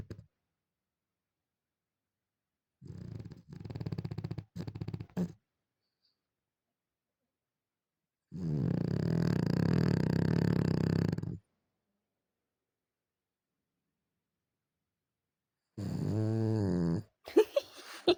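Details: Bulldog named Vitusya asleep in bed on a morning, snoring loudly indoors: deep, rasping, low-pitched snores, a rapid rattling pair early on, then one long drawn-out snore, with a shorter harmonic snore near the end amid silence.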